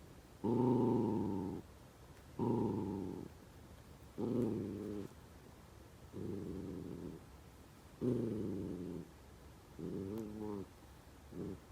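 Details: Senior Miniature Dachshund struggling hard at snack time to get dried sweet potato out of a Kong toy; seven short, harmonic groaning-whining bursts, each about a second long, come at uneven intervals with quiet gaps between them.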